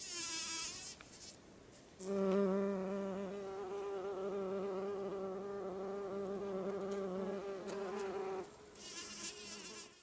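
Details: Large bumblebee buzzing inside a white thimbleberry bloom while collecting pollen, on the trail to Tolmie Peak, July 20, 2013, in summer. A steady, low, rich hum with layered overtones runs for about six seconds, bracketed by a thinner, higher whine.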